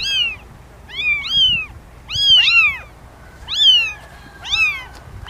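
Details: Domestic cat meowing in six short arched calls, each rising then falling, some in quick pairs, with gaps of about a second between them over a quiet background.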